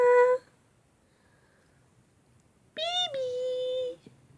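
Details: Shvan, a little male Shih Tzu puppy reacting to kisses or the word "baby", gives one drawn-out whine that jumps up then levels off for about a second, after a brief sound and a quiet pause in a small room.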